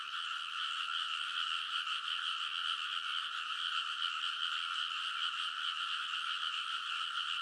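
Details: Midnight in early summer at a rice paddy in Kōnosu, Saitama Prefecture, Japan: many frogs croak together along the field's ridge, a thick, unbroken chorus of rapid overlapping calls, captured on a TASCAM Portacapture X8.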